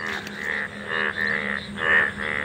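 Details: Many frogs calling in a field in a rural area, a dense chorus of buzzy, harmonic croaks around the same pitch, overlapping and pulsing in waves; a steady low hum runs underneath.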